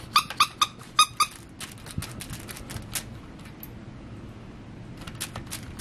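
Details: Six-week-old beagle puppy named in a litter of Daisy and Joey, playing indoors: a quick run of five high, squeaky yelps in the first second and a half, then soft scuffling and faint clicks with a few thin squeaks near the end.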